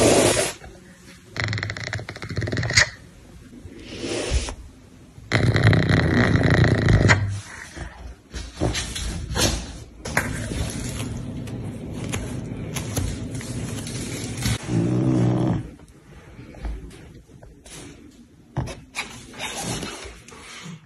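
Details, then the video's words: Floppa Rosa, a caracal, growling and hissing: long bursts of low, rough broadband sound, strongest from about five to seven seconds and from ten to fifteen seconds, broken by short breathy hisses and pauses. "Floppa Rosa Growling and Hissing : Caracal"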